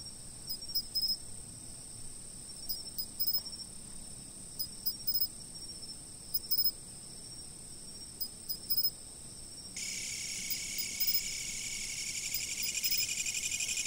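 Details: Insects singing from a fixed position: a steady high trill with spaced chirp bursts, then a louder, broader hissing buzz that fills the last few seconds.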